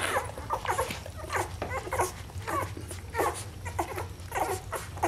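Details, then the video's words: Whining Rhodesian Ridgeback puppies of one litter, their thin wavering whimpers rising and falling in bursts about once a second, several voices overlapping, with a faint low hum underneath. "Rhodesian Ridgeback Puppies"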